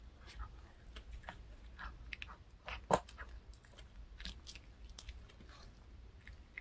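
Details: Domestic dog chewing a fish-shaped bun treat from a handmade treat shop; scattered sharp crunches and smacking bites, one loud snap near the middle, quiet room background.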